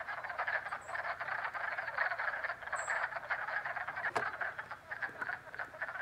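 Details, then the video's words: In springtime at a frog pond in Jackson, New York, a dense chorus of frogs trills and croaks continuously, many voices overlapping into a steady pulsing din. "FROG POND CALLS JACKSON, NY"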